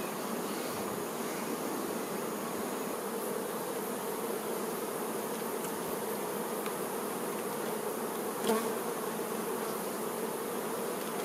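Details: Worker honey bees looking after the queen bee; a steady, humming buzz from the crowded colony, with a single faint click breaking in near the end.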